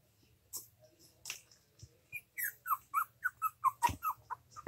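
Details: Cavalier King Charles Spaniel puppies aged three weeks and four days, playing: a quick series of short, high squeaky whimpers, about ten in the last half, with faint snuffling and a few soft thumps.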